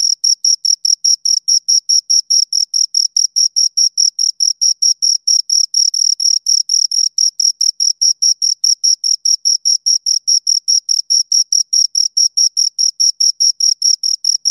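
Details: A pair of crickets giving a long, unbroken run of shrill chirps, about four per second and some sixty pulses in all, very regular and loud, with no other sounds.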